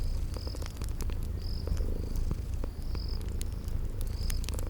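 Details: Purring from sleeping kitties by a crackling fireplace, spring garden ambience; deep continuous rumble underneath, broken by snapping crackles and four brief high cricket-like chirps.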